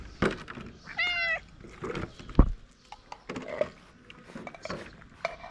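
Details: Abandoned stray cat in Morocco gives one clear, tonal meow with a slight rise and fall, lasting under half a second, amid scattered clicks, thumps and handling noise, with a faint voice in the background.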